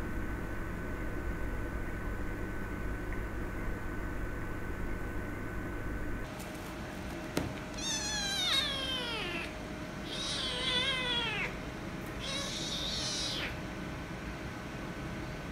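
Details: Angry kitten and calico cat fighting after the kitten wanted to play: quiet room hum for six seconds, then three loud, drawn-out harmonic yowls, each wavering and falling, about two seconds apart, with a sharp click before them.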